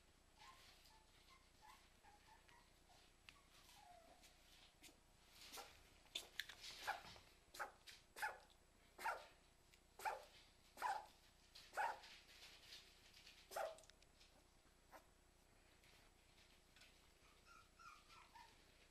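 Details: Two Cairn Terriers indoors giving a run of sharp barks, loud bursts repeated roughly every second in the middle, with softer whines before and after.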